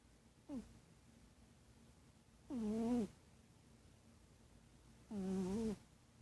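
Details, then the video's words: Sleeping cat snoring: a short faint breath, then two longer voiced, droning snores with a steady low tone and stacked overtones, about two and a half seconds apart, in a quiet indoor room. "Snoring cat"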